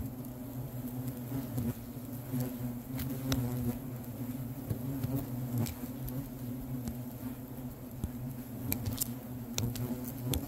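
A dense, low droning buzz from many hornets in a stirred-up colony, with scattered ticking sounds.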